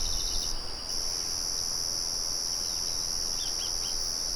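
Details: Crickets trill steadily at a high pitch after a short break in the upper tone near the start. A few faint bird chirps come near the end over a low windmill hum.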